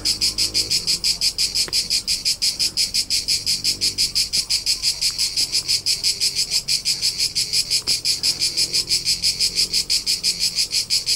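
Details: Crickets in the rolling hillsides of Tuscany, central Italy, recorded in summer on a road trip: loud, steady pulsed chirping about three times a second, high and bright, with faint low rumble beneath.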